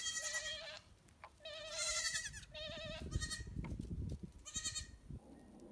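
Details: Baby pygmy goat kids, bottle-fed on a farm and kept with a pet deer, cry out in a series of four quavering, nasal bleats, each about half a second long, separated by brief pauses, with rustling and thumps underneath.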